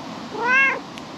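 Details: Calico cat perched on a table in a park, basking in the evening sun, gives a single short meow lasting about half a second, rising then falling, with clear harmonics over a quiet, steady outdoor background.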